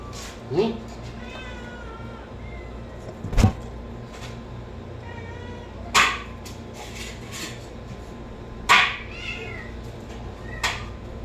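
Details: Cat meowing in short, thin, wavering cries spaced a few seconds apart, broken by loud sharp knocks and thumps, with a low background hum.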